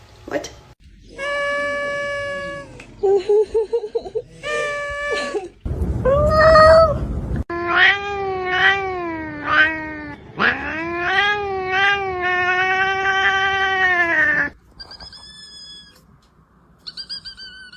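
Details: A domestic cat in a funny compilation, giving long drawn-out meows and wavering caterwauls, some rising and falling in pitch, with a brief burst of noise around six seconds and quieter short meows at the end.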